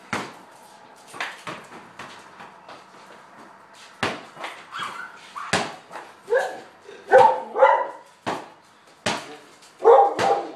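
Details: Playing ball in a garage, border collie Lady starts quiet amid ball bounces, then gives louder, lower clipped yelps and short barks in the second half, each a burst of one or two.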